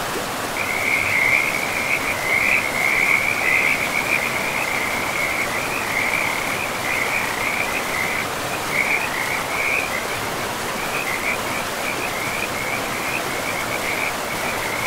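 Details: Frogs calling by a forest river. A dense, continuous chorus of rapid, high, chirping croaks rises and falls for the whole stretch, loudest early on. A constant rushing of river water runs beneath it.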